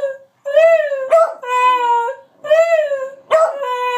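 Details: Dogs Moe and Slim howl and yelp on cue as a trick. Two long, steady, harmonic howls each begin with a sharp yelping break. A short gap separates them.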